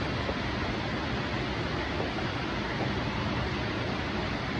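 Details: Continuous broadband rushing noise, like wind or traffic, with no animal sound.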